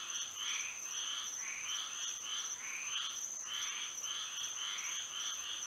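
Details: Florida frogs calling together at night with moonlight, rasping twangy croaks piling up in ragged waves, several callers overlapping, backed by a continuous shrill hum.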